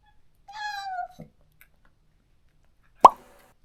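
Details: One sustained, slightly falling meow from a neutered countryside stray cat that calls every day for its lost companion, followed by silence and a single sharp plop.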